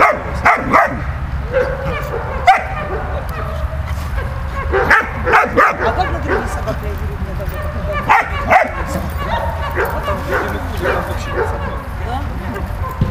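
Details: Malta the dog plays with Bulat, barking in irregular clusters of short sharp yaps and sometimes doubling them up, with a continuous low hum underneath.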